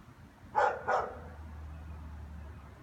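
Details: A German Shepherd, at 3:15 on a Monday afternoon in January, barks at nothing with nobody on the street, giving two deep, loud barks in quick succession, then a low steady hum; it barks like this every afternoon into evening.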